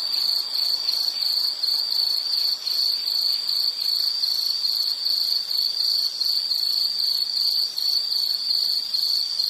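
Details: Relaxation recording of an insect calling: a high, thin, rapidly pulsed trill holding one pitch throughout, its beats evenly spaced several per second, volume rising and falling slightly.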